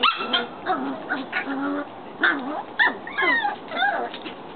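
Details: Several Shetland Sheepdog puppies outside, yipping and whimpering in quick overlapping bursts, with high wavering squeals and short rising-falling cries repeated throughout.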